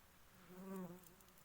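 A queen honey bee gives a low, buzzy, harmonic tone that swells and fades within a second.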